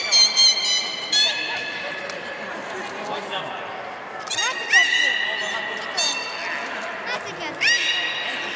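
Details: Captive beluga at Port of Nagoya Public Aquarium on 23 March 2019, in play time after a fish feeding; repeated bright squeals and sweeping chirps in short clusters, with steady whistled tones between them, against background crowd chatter.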